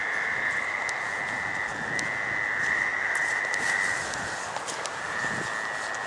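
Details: Gray treefrogs give mating calls on the night of May 11, 2013, in a drainage swale: a steady, high musical trill, their calls overlapping into one continuous chorus.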